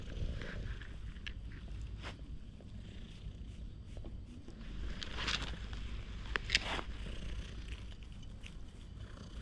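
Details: Stray cat in a park that eagerly followed the person filming, caught on a GoPro: a soft, continuous low rumbling purr runs throughout, with a few brief clicks and rustling handling noises over it.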